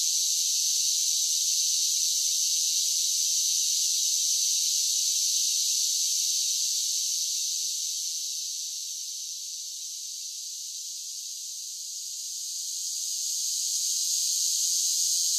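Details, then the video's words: Cicadas singing on a summer day: a dense, steady high-pitched buzzing hiss that fills the upper range without pause, dipping a little in loudness midway and then swelling back up. No other sounds are heard. "Cicada Sounds for Relaxation with Soothing Summer Nature Sounds"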